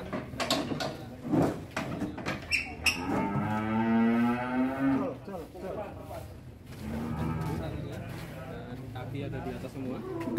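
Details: Huge fattened cattle in Indonesia, being weighed on a scale, give a long, low, drawn-out moo that swells and rises in pitch midway. Knocks and clattering come before it, and a second, fainter lowing follows. Voices are heard faintly in the background.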